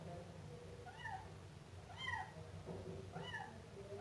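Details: Young Siamese cat, a kitten, giving three quick plaintive mews about a second apart, each a bright bent note with a slight upward sweep, against a constant low droning background noise.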